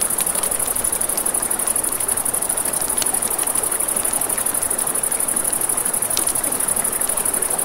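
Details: Nighttime riverside crickets keep up an even, shrill, rapidly pulsed trill throughout, with flowing water hissing beneath and frequent snapping crackles from a campfire.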